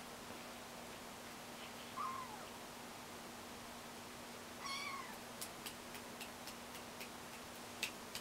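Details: Kittens learning to walk give two brief high mews: a faint one near two seconds and a clearer, harmonic-rich one near five seconds. Sharp ticking clicks follow, over a steady low hum in a quiet room.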